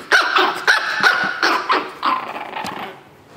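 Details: Chihuahua puppies, 9 April 2016: a quick run of sharp, high yips and short barks, about three each second, with a slight growly edge, tapering off and quieting over the final second.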